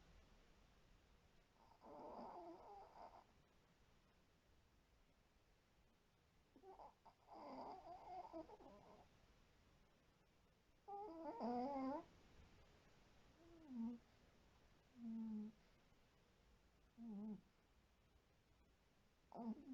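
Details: White Pomeranian named Shiro asleep indoors, snoring loudly: irregular breathy snore bursts that later turn shorter, whistling and nasal, about eight in twenty seconds with quiet gaps between them.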